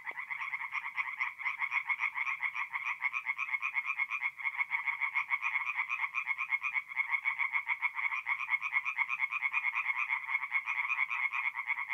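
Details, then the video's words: Loud, dense chorus of several tree frogs at a forest pond by night in north-east Italy in mid-April, rapid rattling croaks overlapping without pause for the whole stretch, quite close. "relaxing forest pond by night with singing tree frogs"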